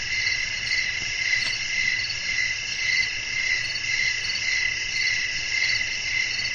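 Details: Night ambience of crickets singing with wind blowing, meant for relaxation and sleep; dense, constant high-pitched trilling layered in several bands, pulsing gently, over faint low background hiss.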